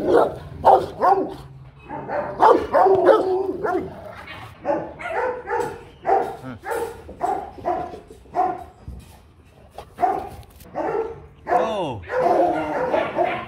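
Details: Rottweilers kept as family guard dogs, two of which dislike each other, bark repeatedly in strong uneven bursts, some rising and falling in pitch. A man gives commands in Vietnamese, telling the dogs to sit.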